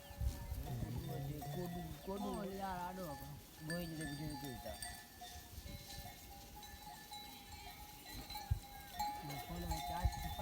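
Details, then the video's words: Goats on a goat farm bleating: several wavering, quavering low bleats in the first four seconds, followed by quieter farm noise, with steady music tones running underneath throughout. "My goat farm"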